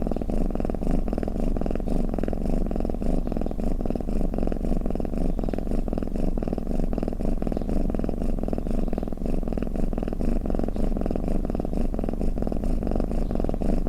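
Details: Low, even purring rumble from a sleeping cat, its fine rapid vibration pulsing in a gentle in-and-out breathing rhythm throughout, steady in loudness with nothing else audible.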